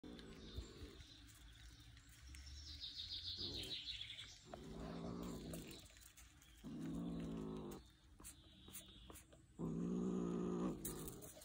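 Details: A male kitten holding a mouse in its mouth gives deep, rasping, lion-like growls in repeated bursts of about a second each, guarding its prey as a person comes close.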